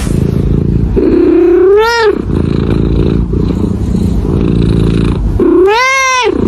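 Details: Domestic cat expressing its emotions by meowing, live sound: two loud drawn-out meows, each rising then falling with rich harmonics, about four seconds apart, over a steady low rumbling hum.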